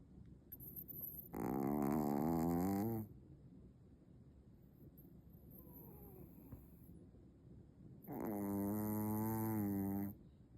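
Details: Maltese dog pretending to sleep, snoring indoors: two long, droning, harmonic-rich snores about five seconds apart, each lasting close to two seconds, with quiet room hush between them.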